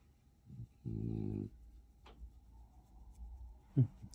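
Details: Indoors, Bob, a blue two-year-old French Bulldog, being fussed over and petted, gives a short low grumbling moan of about half a second, deep and harmonic, followed by faint rustling and a brief knock.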